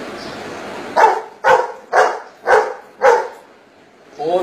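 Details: Golden Retriever answering a spoken maths question, giving five short, loud barks evenly spaced about half a second apart, after a man's voice asks the sum, with his voice resuming at the end.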